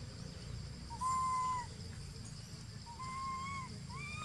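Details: Baby monkey named Jinx crying, perhaps from hunger: two clear whistled cries, each rising then falling, one near the start and a longer wavering one toward the end, over a steady low rumble of background noise.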